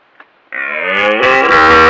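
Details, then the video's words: Red deer stag giving a very loud close-up roar: a short quiet sound, then a sudden sustained harmonic bellow that swells and grows harsher and louder over about a second and a half. "The LOUDEST Red Stag Roar Ever!!!"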